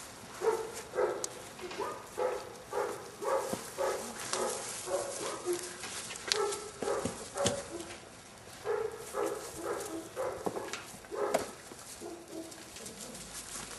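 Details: Airedale Terrier puppies, seven weeks old from an L-litter, keep up a busy run of short gruff bursts and yappy notes, close to two per second, with sharp clicks and knocks scattered between them.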